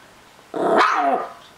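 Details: Chihuahua-Miniature Pinscher mix dog, possessive over his treats, gives one short harmonic growling vocalization lasting under a second. It rises in pitch and then falls away, in a quiet indoor setting.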